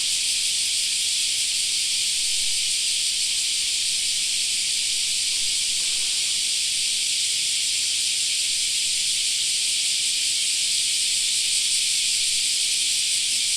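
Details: Cicadas singing in a park in summer: a dense, unbroken, high, hissing buzz that holds steady with no pauses, with almost nothing else audible beneath it.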